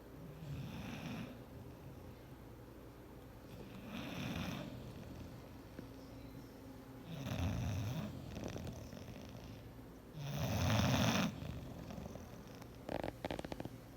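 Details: Sleeping on the chair, bulldog Clyde snores in regular loud cycles every three seconds or so, throaty rattling exhales with hissy inhales; a few clicks near the end.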